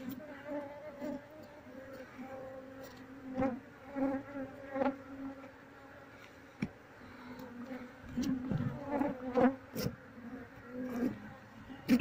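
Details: Honey bees of a wild colony being transferred to a cardboard box while the queen is searched for among them; continuous droning hum with harmonic layers, interrupted by sharp taps and rustling.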